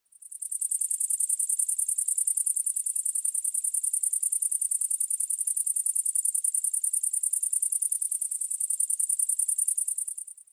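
A grasshopper stridulates in a steady, very high-pitched buzzing trill of rapid, even pulses.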